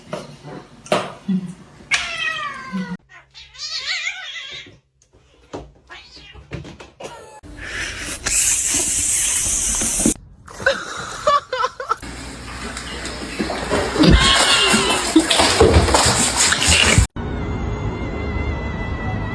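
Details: A male kitten meows in short, rising, wavering cries amid choppy cuts of talking, laughter and music.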